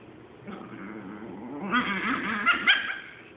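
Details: Chihuahua guarding its hoard from a Boston Terrier: a low rumbling growl builds into higher, tense yipping cries with a few sharp peaks, ending in a fading grumble.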